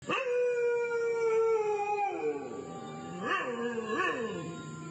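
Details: Dog howling at night on the Cambodian side of the border, heard howling all night: a long, steady, wailing tone that slowly sinks, then two short rising-and-falling swoops, with rich layered overtones.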